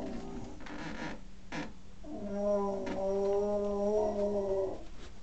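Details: {'caption': 'Pet male dog attempting to howl, which his owner says sounds more like a pig: rough, noisy sounds at first, then a steady wavering tone held for about two and a half seconds, slightly rising and falling.'}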